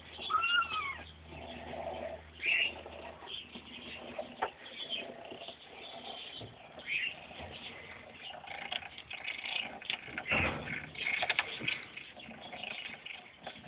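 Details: Three kittens, five weeks old, having a wrestle: a clear rising-falling meow near the start, then short high squeaks between thumps and scrabbling play noises.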